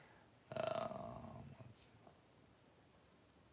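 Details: Cavalier King Charles Spaniel indoors while giving birth to six puppies in two hours: one drawn-out whining cry lasting about a second, steady in pitch and then fading away, followed by quiet room noise and a faint click at the end.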